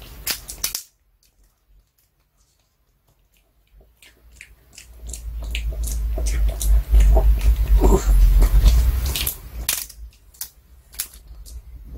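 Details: Crunching and gnawing from a dog chewing a hard treat, with sharp clicks and a low handling rumble; no calls or barks.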